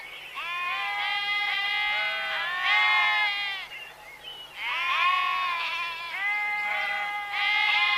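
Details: Sheep bleating in long, wavering, nasal calls that overlap one another. The calls come in two main bouts separated by a short lull near the middle, with a faint low hum beneath.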